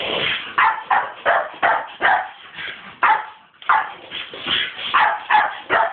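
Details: A female Staffordshire Bull Terrier barks in quick, excited bursts, some sharp and yippy, at a skateboard; the owner is unsure whether she likes it or hates it.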